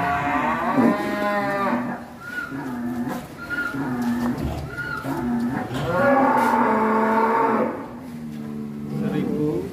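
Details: Huge one-tonne cattle raging and breaking out of its pen: repeated loud, harmonic bellowing moos, some long and wavering, others short, in a noisy setting with people in the background.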